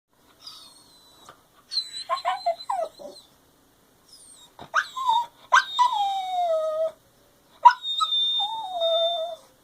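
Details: A dog whines in drawn-out, sliding whimpers that fall in pitch, demanding attention and wanting to play, while another dog sleeps.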